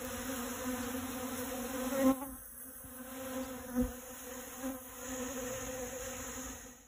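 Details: Honey bee gathering pollen at dragon fruit flowers, a pollinator at work: a continuous droning buzz that swells and fades, dipping quieter around two to four seconds, with a few soft taps and knocks.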